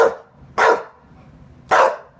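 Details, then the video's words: English Bulldog barking indoors because it wants to go out again: three short, loud, rough barks, the last two about a second apart, quiet between. "BULLDOG RUE WANTS TO GO OUT !"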